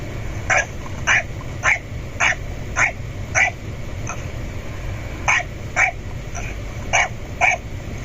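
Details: Domestic dog barking at a door to get its owner to open it: a run of short, sharp barks, roughly two per second with a brief pause midway, over a constant low hum.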